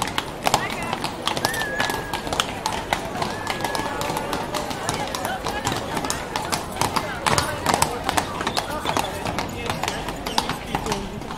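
Horses' hooves clip-clop steadily on a hard street while people talk nearby.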